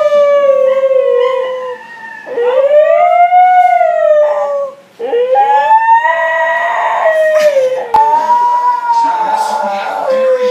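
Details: Howling from Beatrice, a Siberian Husky, comes as a chain of rising-and-falling wails with short breaks between them. Human voices and clatter mix in toward the end.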